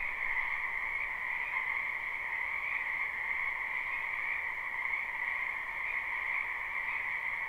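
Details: Spring wetland frogs heard live as a quiet, far-off chorus. Blended trilling croaks form an even, droning two-band hum with little pulsing, set against a noticeable background hiss.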